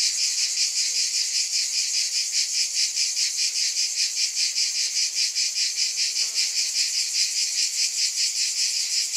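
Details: Cicadas fill the air with a dense, high, hissing buzz that pulses rapidly, about two or three beats each second, steady and unbroken throughout with no other sounds.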